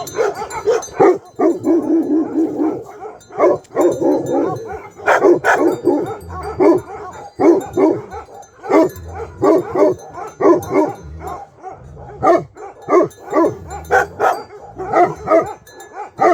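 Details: Bhote Kukur, the Himalayan sheepdog of Nepal, barks loudly and repeatedly, deep rough barks in irregular bursts with brief pauses, some running together into a growling stretch early on.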